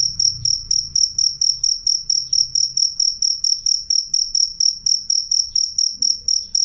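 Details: Loud, clear cricket song: piercing high-pitched pulses repeated evenly, roughly four a second, throughout, over a faint low murmur.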